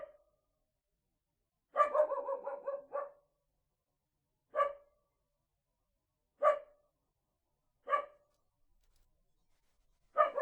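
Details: Small dog giving a fast burst of six or so yappy barks, then single short barks spaced roughly one and a half to two seconds apart, with quiet gaps between.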